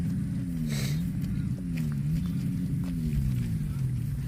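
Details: Cow mooing in a long, low, wavering drone that runs the whole length, its pitch sliding gently up and down with rich harmonics, over a faint rumbling background.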